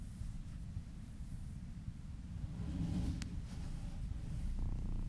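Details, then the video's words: Happy kittens purring while being massaged, a low steady rumbling purr with pulsed texture filling the bass, swelling slightly louder midway, with a brief rustle and faint handling noise above. "Purring kittens ASMR"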